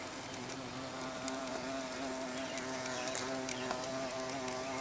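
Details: Steady humming buzz of a carpenter bee holding a constant low pitch with layered overtones, broken by occasional faint ticks and a soft hiss.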